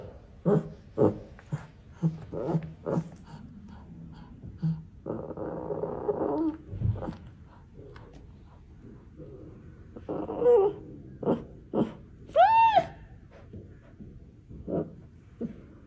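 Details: Baby tiger cub giving a run of short gruff growling bursts with a brief rasping stretch in the middle, then a clear high mewing cry that rises and falls, followed by more short grunts.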